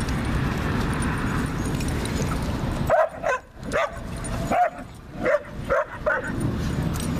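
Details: German Shepherd puppy wrestling in a St. Louis dog park, giving a burst of short, sharp barks and yips in quick irregular succession over about three seconds, over a steady low rumble of outdoor background noise.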